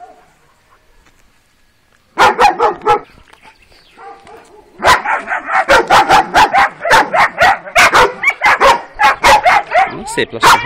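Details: Kuvasz puppies of a working type, aged 12 weeks, barking on their first street outing: after two quiet seconds, bursts of loud barks, then a rapid, steady volley of harsh barks continuing to the end.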